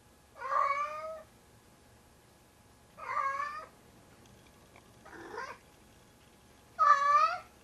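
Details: Big male house cat Tigger, around 25 pounds, hauling his sock 'kitten' to bed: three loud wailing meows and one softer, lower call between them, each under a second long, in a quiet indoor space.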